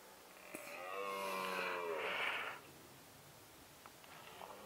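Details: Male red deer bellowing in the rutting season, captured with a Nikon D7100: a single moderately loud, hoarse roar lasting about two seconds with layered harmonics, then quiet background with a few faint clicks.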